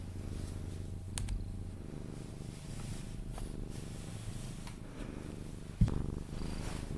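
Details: Sphynx cat purring while being cuddled, drifting toward sleep; steady low rumbling purr with a pulsing texture, one brief thump near the end and faint rustling.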